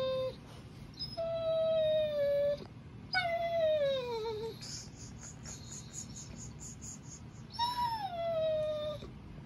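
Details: A male German Shorthaired Pointer whines in long, high, slightly falling tones, pleading for his tug toy, which his owner is holding.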